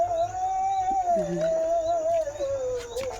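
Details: Leo, a German Shepherd dog, on an evening walk through green countryside, gives one long drawn-out howl that holds a steady pitch and then slowly sinks, with rich overtones and a faint murmur of nearby human voices.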